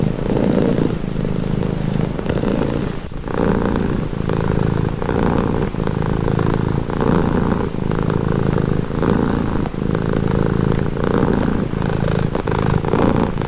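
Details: Domestic cat purring, described as calming and relaxing: a steady low rumbling purr with rhythmic pulses of breathing in and out, each cycle lasting about a second, continuous throughout.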